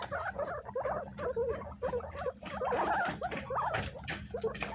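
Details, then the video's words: Several pet guinea pigs scrambling and fighting over bananas, raising their voices high; short squeaky chirps come in quick overlapping bursts, rising and falling, with brief pauses between clusters. "The sound of Guinea pigs scrambling to eat bananas"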